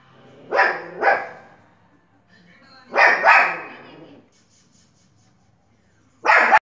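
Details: Watching television, a Pomeranian dog lets out high, snappy barks in quick doubled pairs, then a pause before one final bark, with a low hum in the background.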